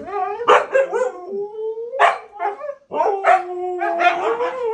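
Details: A Siberian Husky, one of three 'talking' pet huskies, 'talks back' in drawn-out, wavering yowls sliding up and down in pitch after being scolded for misbehaving.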